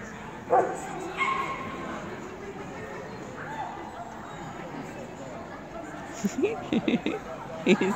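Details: Newfoundland dog running an AKC Jumpers agility course in 2017 barks in short bursts, a pair early on and then a rapid series near the end, over steady crowd and arena noise with people talking.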